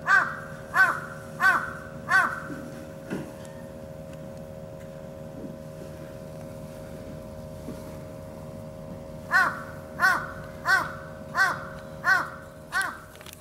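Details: Bush dog couple at Saitama Children's Zoo in Japan: a series of short, evenly spaced, harmonic yelping calls, about one every 0.7 seconds, in two bursts separated by a quiet stretch with a steady low hum.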